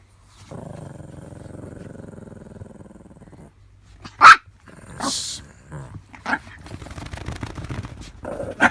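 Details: Roku the Chihuahua, a small indoor pet dog facing a cardboard barrier on the way to Rei, before a June 2018 injury; a low steady growl lasting about three seconds, then a sudden sharp bark, a few shorter yips and scuffling.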